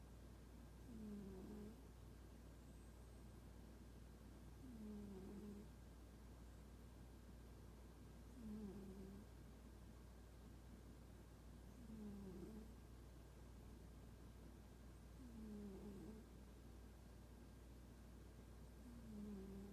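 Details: Domestic cat named Toraji, described as unfriendly, snoring while asleep; soft low puffing snores repeat roughly every three to four seconds against a steady low hum.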